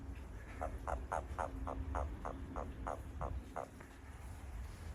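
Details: A Japanese toad calls behind a home as the frogs become lively. About ten evenly spaced, short rattling croaks come in a few seconds over a constant low hum.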